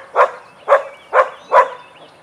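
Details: Vizsla during a playtime session, with Biscuit and Jericho named: four sharp, loud barks evenly spaced about half a second apart, mid-pitched and punchy, over an otherwise quiet background.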